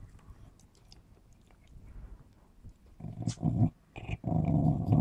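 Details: A Smooth Fox Terrier playing with its ball growls possessively: quiet room noise at first, then a sudden run of loud, deep, rough growling in two surges over the final two seconds.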